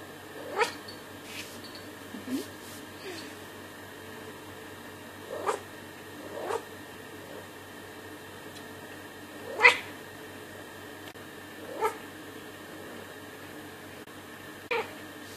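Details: Domestic pet cat indoors giving short meows spaced irregularly, about eight brief calls over fifteen seconds, each a quick rising-falling cry against a steady low background hum.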